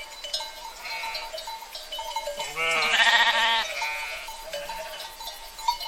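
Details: A herd of sheep, one animal giving a long, strong, quavering bleat of about a second over a bed of steady bell-like ringing tones and faint clinking.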